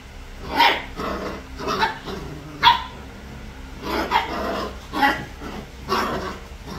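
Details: Playing puppies, three weeks old, letting out sharp little yips and squeaky barks, about one each second, with quieter grumbling noises between them.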